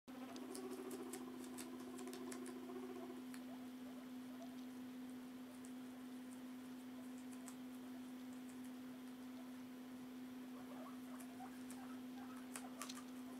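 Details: Guinea pigs Princess Cinnamon (Cinny) and Mochi feeding, Cinny doing most of the eating; quick irregular crunching clicks and soft patter throughout, over a steady low electrical hum.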